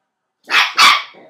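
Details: Nine-week-old Scottish Terrier puppy playing with a tea spoon gives two sharp, high, yappy barks in quick succession, the second slightly louder, followed by a faint trailing sound; an indoor setting.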